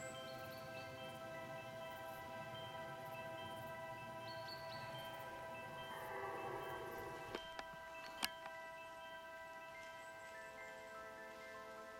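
Steady ringing chime-like tones with a few sharp clicks, and no animal voice.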